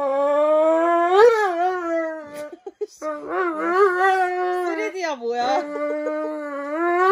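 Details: Loud howling from Roman the Dobermann during nail trimming. One continuous wavering wail swoops upward, breaks into a wobbling, quavering stretch, then settles into a long level cry.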